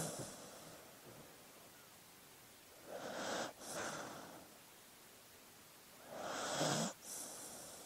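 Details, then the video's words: Soft breathing of a sleeping dog: two quiet, airy, wheezy breaths about three seconds apart, each a hissing rush that cuts off abruptly, over faint background hiss. "Sleeping Dog Sounds"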